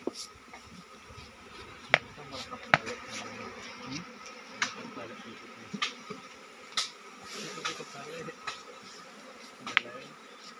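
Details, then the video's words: Steady low hum of honey bees from a forest nest opened for honey harvest without protection, punctuated every second or two by crisp taps and clicks from the work, with murmured background sound. "TANPA PENGAMAN NGAMBIL SARANG LEBAH ?"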